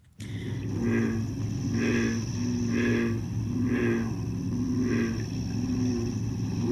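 An American bullfrog gives deep, resonant droning notes, repeated about once a second over a low hum.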